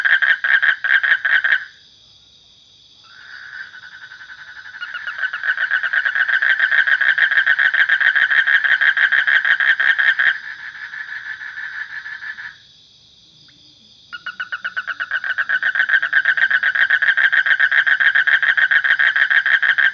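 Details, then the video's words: Frog chorus of rapid rattling pulse trains, twice broken by near-silent pauses of about two seconds before the loud pulsing resumes. "Suara Kodok / Frog Sound"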